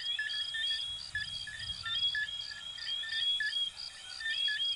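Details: Coquí frogs of Venezuela and Puerto Rico in a dense chorus: many overlapping short chirps and quick rising whistled notes pulse about once a second at several pitches, with faint low rumbling beneath.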